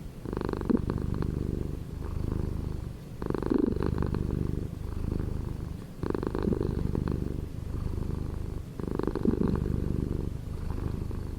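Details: Steady rumbling cat purr with a regular breathing rhythm. A grainier, louder phase arrives roughly every three seconds, separated by calmer, low-pitched droning.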